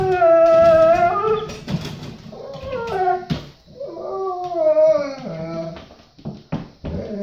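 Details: Bo, a Golden Retriever, vocalizing because he needs to go potty: a series of tonal, moaning howls that rise and fall and slide downward, broken by short pauses and a few soft clicks.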